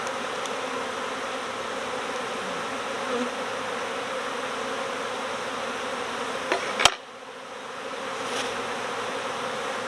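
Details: Swarming honeybees being recovered next door in swarm season make a thick, continuous buzzing drone. A sharp knock cuts in near seven seconds, and the hum briefly thins before swelling back.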